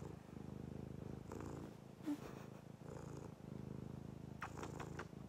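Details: A fawn Abyssinian cat purrs steadily, a low continuous rumble pulsing with each breath.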